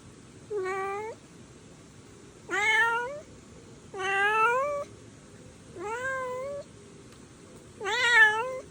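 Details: Young stray cat giving five separate meows with pauses of one to two seconds, several sliding upward at the end, clear harmonics over a quiet hiss.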